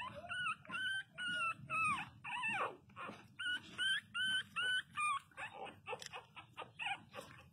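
Pinscher puppies cry loudly in high, wavering whines repeated in quick bursts.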